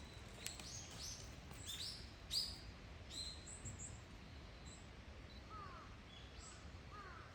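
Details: Bush dogs calling in their enclosure at Zoorasia, Yokohama, Japan, on 21 November 2022: a few sharp, high chirping squeaks early on, then quieter rising whistles, with steady ambient hum beneath.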